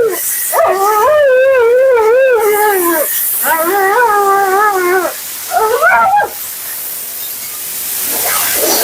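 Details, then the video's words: Female Siberian Husky Mila vocalizes while being bathed and groomed on her second visit: long wavering howl phrases with rippling pitch, two sustained bouts then a short rising yelp, over constant hiss of water or blower. "Talking Husky FURNADO Bath and Blowout"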